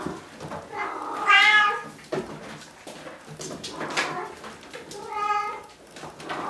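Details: Young Bengal kittens, three litters at Wildrose Bengals aged 5 to nearly 8 weeks, produce two clear meows several seconds apart, each bright and harmonic, with soft shuffling between them indoors.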